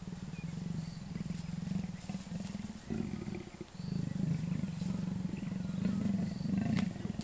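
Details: Wild male and female leopard in and around Kruger National Park, South Africa, the lazy male reluctant before eventually mating; low rasping growls and grumbles rise and fall over a steady low engine-like hum, with faint distant birds.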